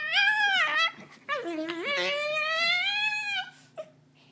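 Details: Honey, a domestic dog (Canis familiaris) that sounds like a cat, gives long, tonal, meow-like whines that slide down, then swoop back up.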